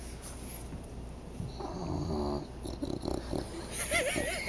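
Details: Dog asleep before waking to the smell of food gives one buzzy, throaty snore lasting about a second. Soft snuffling and a brief wavering squeak follow as it stirs.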